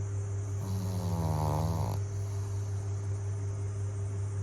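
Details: Pug snoring: one drawn-out, rattling snore lasting just over a second, with a slight downward slide in pitch, over a steady low electrical hum that runs throughout.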